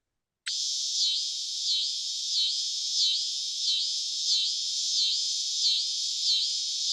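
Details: A scissor grinder cicada, a species found in Tennessee, gives a loud, high, steady buzz that pulses in a regular rhythm, said to sound like scissors grinding.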